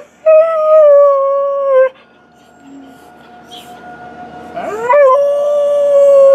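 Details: Purebred Alaskan Malamute, a pet, recorded around 2013: a short level howl, a quiet stretch with faint background sounds, then a rising yelp sliding into a second sustained tonal howl.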